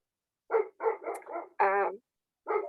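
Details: A dog barking indoors in the background while its owner gives a live online talk: a quick run of short sharp barks, then one longer, more tonal bark, and another bark after a brief pause.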